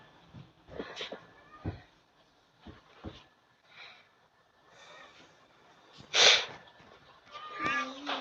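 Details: Domestic cat indoors giving a short harmonic meow, followed by a rising tonal call near the end, between soft rustling and a person greeting viewers.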